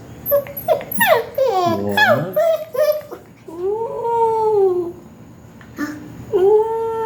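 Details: Seven-week-old agouti Siberian Husky puppies in a garage late at night give drawn-out, rising-and-falling whines, with a person's soft voice nearby.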